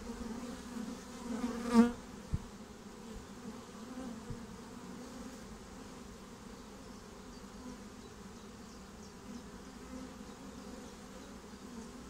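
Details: Swarming honeybees moving into a new home give a continuous low hum. One bee buzzes loudly past near the start, then the even drone carries on.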